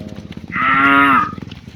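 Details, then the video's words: A cow calls to its friends as the herd is driven home to the barn in the afternoon. One loud, steady moo lasts under a second and dips slightly at the end, with rhythmic clattering around it. "The Sound of Cows Calling Their Friends"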